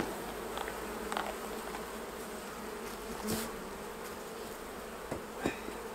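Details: Hum of many honey bees while honey is taken off the hives, a constant drone with occasional sharp knocks and taps from the beekeeper working the frames.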